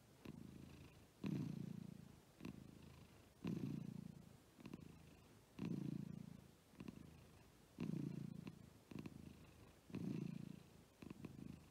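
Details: Pet cats, a female American Shorthair named Agu and a male lop-eared Scottish Fold named Chappy, with tongues out; steady low purring rises and falls with each breath, about one cycle every two seconds, in a quiet room.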